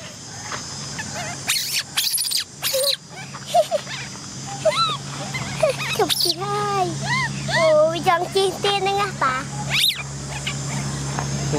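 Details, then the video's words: Orphaned young female macaque Cola whimpers and cries, wanting a ride on a bike. A long series of rising-and-falling whiny cries comes in quick bursts while people talk in Vietnamese in the background. "Cola monkey cries because she wants to ride a bike! Baby Cola cries"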